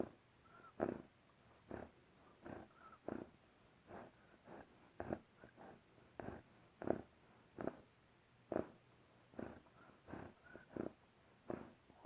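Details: Bear sleeping and snoring: regular rough breaths under a second apart, several followed by a short, clear mid-pitched whistle, against quiet indoor hum.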